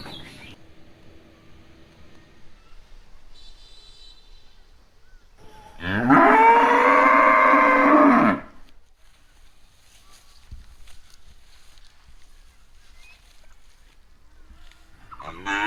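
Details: Cow lowing once, a loud two-second moo that rises, holds, and falls, set between long quiet stretches with faint background rustles.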